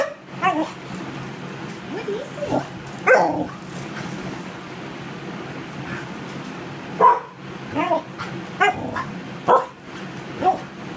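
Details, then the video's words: Border Collie in distress, whining in repeated short tonal bursts with sharper yips scattered through the stretch and a low constant background hum. "Border Collie angst"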